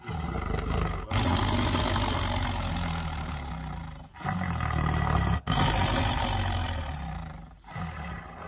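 A tiger gives long, loud, rasping roars, deep and rumbling, broken by brief pauses.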